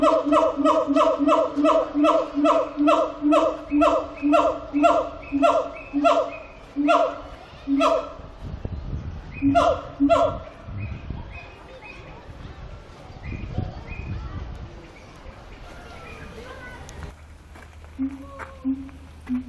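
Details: Siamang singing at Zoo Antwerpen, a steady run of loud harmonic hoots repeated about twice a second for eight seconds, then scattered fainter calls and short notes trailing off in an indoor space.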